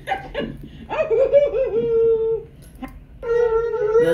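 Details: Malamute and Blue Bay Shepherd howling together at home: a wavering howl rises and settles into a steady tone, fades out, then a second sustained howl begins after a short pause, with soft room noise underneath.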